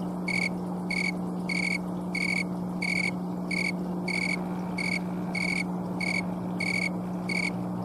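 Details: Oecanthus fultoni, a green or thermometer tree cricket, chirping on a Colorado afternoon in October, one of few left late in the year. About a dozen clear high chirps, slightly uneven in spacing, above a continuous low drone.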